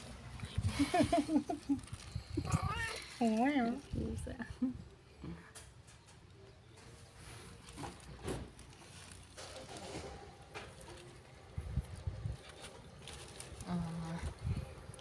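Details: Two domestic cats, a mother and her son, meowing: a few wavering, rising and falling meows early on, mixed with a person talking in Italian and some background music.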